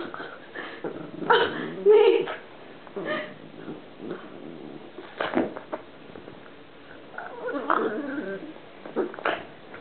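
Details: Columbo, a pet pug, making a strange noise while playing indoors: rough growling grunts with brief nasal squeaks, bursts clustered near the start and scattered through the rest.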